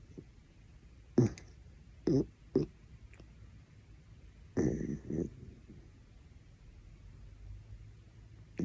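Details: Pet dachshund Horongi snoring loudly enough to wake someone; short raspy snorting bursts come at irregular intervals, some in quick pairs, with long quiet gaps in a still indoor room.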